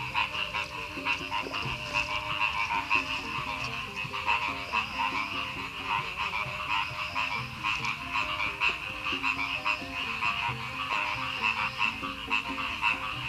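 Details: Loud frog chorus in village rice fields at the edge of Madiun, Indonesia, following a night of torrential rain and strong wind; many frogs croak in rapid rhythmic pulses over a constant high trill.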